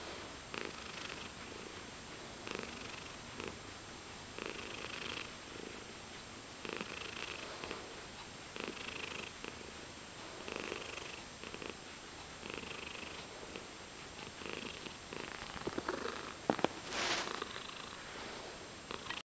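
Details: Chin scratches keep a house cat purring: a continuous soft throaty vibration pulsing in regular breaths, with a brief rustle or scratching sound near the end and a steady faint hum behind.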